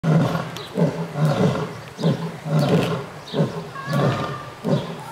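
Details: A lion at Tierpark Hellabrunn zoo roars with deep, rumbling grunts in a steady series, a little over one per second; Lion.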